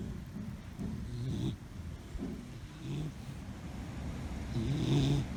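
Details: A puppy napping happily on a yard swing, snoring: low, rough rumbling breaths in uneven bursts, a few per second, growing louder toward the end, with faint outdoor background.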